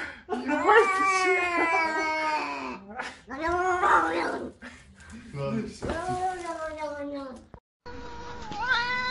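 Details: Angry cat giving repeated moaning yowls, each swelling upward then trailing off, four or five wails in quick succession with some human speech mixed in and a brief rising cry at the end.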